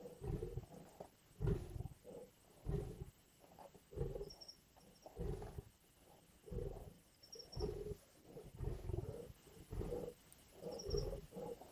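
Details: Lions growling while biting at a kill in Indian bush: rhythmic low snarling bursts about every second, steady in loudness, with brief high bird chirps now and then.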